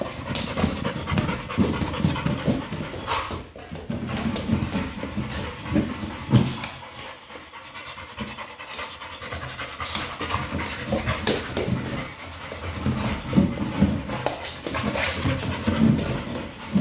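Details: Hard, fast panting from the pit bull Kral as he attacks a Pilates ball without mercy. Long stretches of ragged breathing mix with scrapes, knocks and handling noise.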